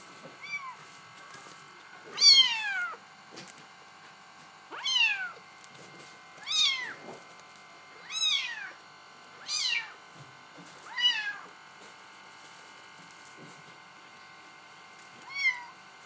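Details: Bengal kittens meowing indoors, a series of seven high, downward-curving meows spaced roughly every one to two seconds, each rich in overtones, with a short last meow after a pause; a steady background hum throughout.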